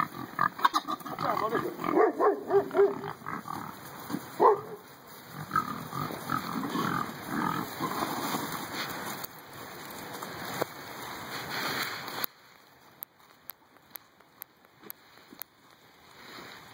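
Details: Domestic pigs on a farm at feeding time, a dense run of grunts, squeals and snorts packed together for about twelve seconds, then quieter clicks and knocks with a steady high electrical whine throughout.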